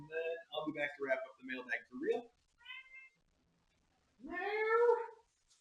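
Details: A domestic cat gives a single drawn-out meow near the end, rising at first and then holding steady for about a second, after several seconds of a person talking in a small, quiet room.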